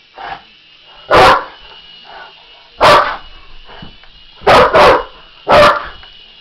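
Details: English Mastiff confronting a remote-controlled helicopter, giving loud single barks roughly every one to two seconds, including a quick double bark, while the toy helicopter's motor whines steadily in the background.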